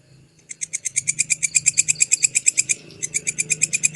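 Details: Grasshopper called belalang kecek or walang kecek, recorded clearly as tutor sound for songbirds. Rapid, bright ticking pulses start after a short quiet moment, run steadily, break briefly near the three-second mark, then resume over a soft low hum.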